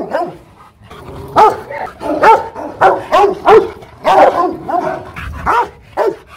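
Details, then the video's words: Hostile barking from a Rottweiler kennel in Hoang Mai, Hanoi: a busy stretch of deep, overlapping barks and yelps crowding together with little silence, loud throughout. "Tiếng chó sủa kinh hoàng| DOGS BARKING to Make your Dog Bark"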